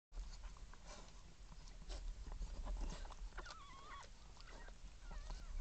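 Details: A Miniature Schnauzer giving birth gives soft, wavering whimpers over steady low rumbling and rustling noise.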